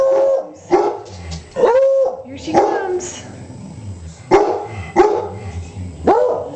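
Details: Young Beagle Sissy with Beagle Gonzo and black Labrador Snoopy, barking and howling indoors: sharp barks at irregular intervals, a few drawn-out tonal yowls that hold steady then dip, and brief human voices in between.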